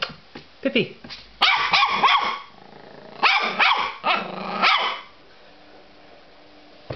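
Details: Border Terrier puppy named Pippy, playing indoors and described as crazy, gives bursts of sharp harmonic barks in quick clusters with short gaps, while a person calls her name and talks about her bone.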